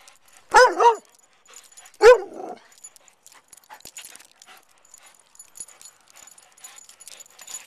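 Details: A Vizsla, shown being nimble and moving in any direction at any speed when not napping, gives two short, wavering, whiny barks about a second and a half apart, followed by faint scratching and jingling.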